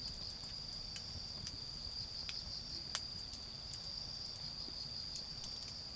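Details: Autumn insects in a garden beside a bonfire, a steady high continuous trilling that holds one pitch throughout, with sharp crackles and pops from the fire scattered across it and a soft low rumble beneath.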